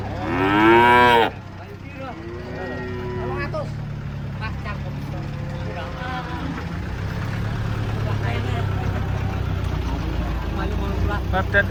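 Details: Huge cattle coming off a truck: one loud, rising-and-falling moo close by, then quieter drawn-out lowing from other animals further back against a constant vehicle drone.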